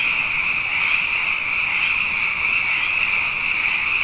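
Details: Nighttime frog chorus during a season of plenty after two wet years, loud and near, a steady shimmering high trill with gentle rhythmic pulsing throughout.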